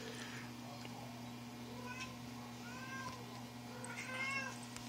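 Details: Eight-week-old Toyger kitten at play, giving several soft, brief, rising-and-falling mews spread across a few seconds, faint against a steady low hum and light rustling.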